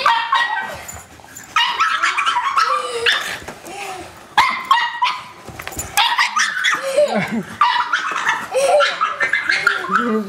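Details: Pug barking and whimpering while fighting a vacuum cleaner indoors; short harmonic yaps and whines recur in bursts, mixed with people talking and laughing.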